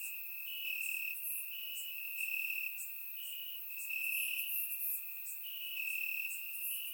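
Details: Warm summer night in Bulgaria, crickets in grass captured by a surround microphone: high steady trilling, with short stepped bursts that rise slightly in pitch roughly every second, a quiet, even background.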